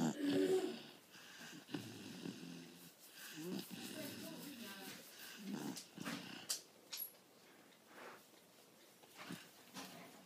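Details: A 4-month-old male English Bull Terrier snores with a coarse, rattling rasp on each breath, rough bursts at uneven intervals of a second or two; a faint human voice may murmur in the background.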